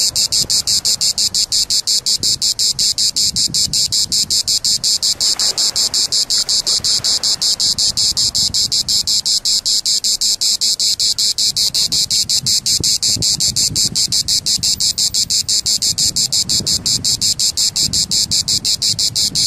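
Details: A cicada sings between Les Sablettes and the Petite Mer at La Seyne-sur-Mer, France: a loud, shrill buzz pulsing rapidly and steadily, with faint low rumbles beneath.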